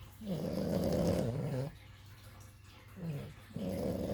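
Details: Two puppies asleep, snoring. Long, throaty, rattling inhalations around a second and a half each, separated by quiet gaps, in a small quiet room.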